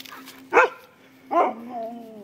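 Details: Siberian husky at home, excited over food take-out containers, gives two loud, clipped harmonic barks about a second apart, the second trailing into a brief whine, with a faint steady hum in the room.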